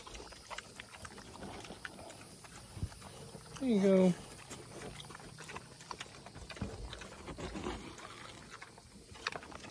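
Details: Pig at an animal sanctuary, praised while being taught to sit: one short, loud, harmonic grunt-like call lasting about half a second, with a woman's voice talking to the animals before and after, plus faint outdoor background noise.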